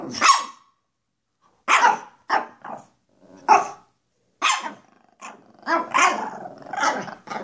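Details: Playful barking from two goofy Pekapoms, female Stella and male Moose, with sharp yaps about every half second to second, growing into a rapid run of rough barks near the end.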